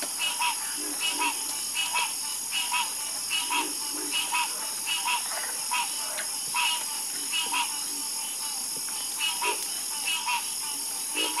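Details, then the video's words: Croaking frogs calling together after dark, clipped pulsed notes recurring about once a second in uneven rhythm, with a continuous shrill hum behind them. "Calming Sound Of Harmonious Frog Croaking"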